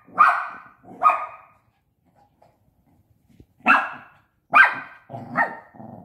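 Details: Five-month-old Shih Tzu puppy Bradley plays with a pop-up tent, letting out two shrill barks, a quiet gap with light rustle, then a rapid burst of three yaps ending in a short rough growly note.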